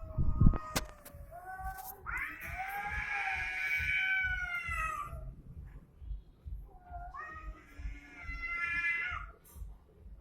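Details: Domestic cats fighting: a few sharp knocks, then a low moan that swells into a loud, sustained wavering yowl, dropping off, followed by another shorter rising and falling wail over low background rumble.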